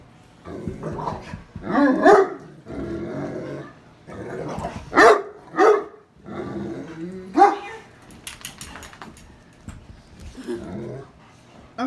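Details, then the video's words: A Great Dane male, described as very vocal and loud, gives deep, gruff barks and growly grumbles in uneven bursts while barking at a girl in the family. "Great Dane giving hell!!!!"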